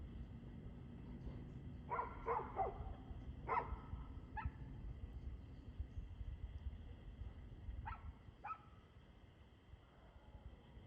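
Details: Barking dog at 6:02 pm on 2/6/2024, somewhat distant: a quick cluster of three barks, two single barks soon after, then a pause and a final pair of barks, over a steady low hum.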